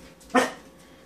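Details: Single abrupt bark from a year-old male English springer spaniel that has just found he is scared of apple pears; the bark fades quickly into a quiet room.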